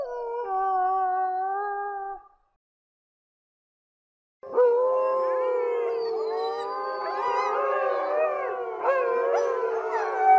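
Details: Howling gray wolves: one long flat held howl, a two-second silence, then a chorus of many voices sliding up and down over one another, dense and sustained, with a sharp brief yelp near the end.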